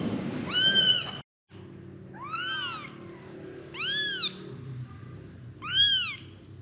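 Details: Five young kittens calling for their mother: four clear, high, arching meows, each rising then falling, spaced about one to two seconds apart, with a brief silent gap early on and a low background hum.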